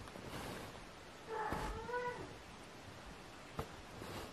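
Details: Kitten giving a single drawn-out meow that rises slightly then falls away, with low room rumble and a soft tap afterward.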